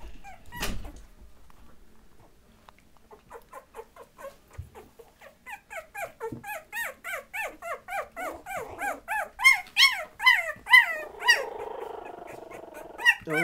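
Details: Patterdale Terrier puppies, 20 days old, in a litter: after a sharp knock and quiet, a rapid run of high, thin whines and squeaks builds in loudness, about two per second, some bending downward, with a brief rough murmur near the end.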